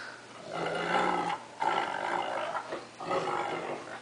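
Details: Playful scuffle between a cocker spaniel and a wolf-Akita cross kept as pets: sustained rumbling, roar-like growls in two long stretches separated by a short gap, harsh and noisy throughout.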